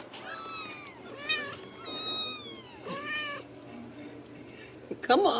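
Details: Young Ragdoll kittens, home-raised without cages in central Kansas, calling in a run of high, curving mews that sweep down in pitch, about one each second, with a person's voice and a loud burst at the close.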